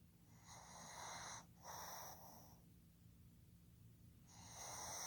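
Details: Soft wheezy snoring from Fukuzo, a male pug born 15 July 2020, asleep: two airy rasping breaths close together, a quiet pause, then another breath beginning.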